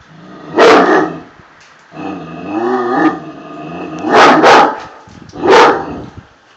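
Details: Tosa Inu guardian dog barking in loud, heavy single blasts, three spaced over several seconds, with a drawn-out tonal whine-like growl between the first and second barks.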